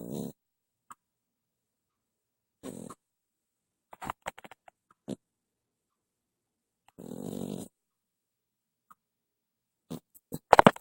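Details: A sleeping pet ferret snores indoors at night, giving soft, breathy snore bursts at uneven intervals, mixed with small clicks and rustling handling noises near the end.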